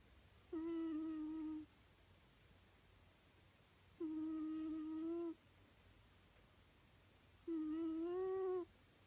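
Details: Sleeping cat snoring indoors in a quiet room: three steady, humming, whistle-like tones, each lasting about a second and recurring roughly every three and a half seconds with each breath, with faint background hiss between.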